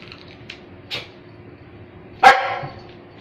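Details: Dog giving one loud, harsh bark near the end after a couple of softer short yips, with a low steady background hum.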